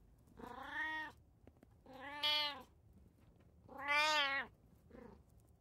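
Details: One of three pet cats (brown tabby, Abyssinian, short-legged Munchkin) sharing a home, filmed June 16, 2024, gives a run of four drawn-out meows about every second and a half, the third loudest and the last short and faint.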